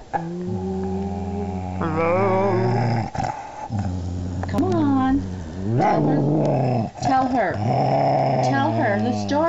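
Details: Amber, a female pet dog, 'talks' when she is angry: low sustained growling tones break into rising and falling whiny, yodel-like vocal sweeps, with a person coaxing her to tell the story.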